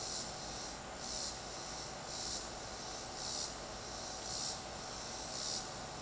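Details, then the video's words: Cicada heard in a tree, its soft high-pitched buzzing bursts repeating about once per second, partly masked by a constant broadband hiss. "Cicada singing"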